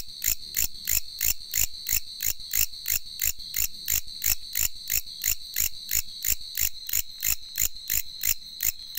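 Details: A bush cricket calls at late night with loud, rasping pulses about three times a second in a steady rhythm, a high ringing tone running through them.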